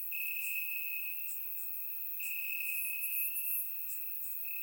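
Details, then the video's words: Night-time crickets chirping in the grass in Bulgaria on a warm summer evening, recorded in surround sound: a high, steady trill with two short breaks, plus soft, rapid higher-pitched chirping in the background. "Cricket Sounds - Crickets Chirping at Night"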